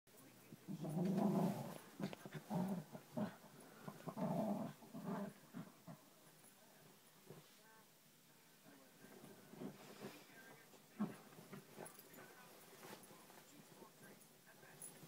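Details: Newtie, a dog rolling around on a bed, growls in low rumbling bursts that cluster through the first five seconds, then fade to sparse, quieter grumbles and soft rustling.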